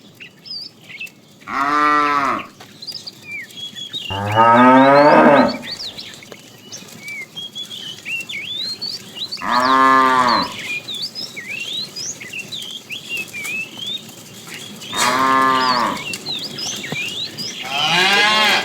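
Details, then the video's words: Tame cows in a herd wandering far in search of food, giving loud, drawn-out harmonic moos roughly every five seconds, some deep and rising, with small birds chirping steadily in the background. "funny cow sounds"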